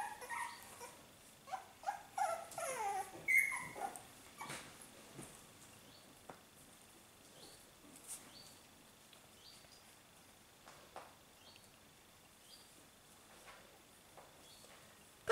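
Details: Five-week-old Australian Terrier puppies let out a cluster of sharp, high squeals and yelps in the first four seconds, then only scattered faint squeaks in a quiet room.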